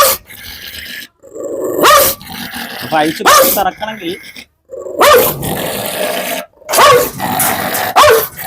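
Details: Biting dog, 8 to 9 years old with dimmed sight, on a leash, alternates gravelly growls with a series of sharp barks roughly every one to two seconds, while a man talks to it nearby.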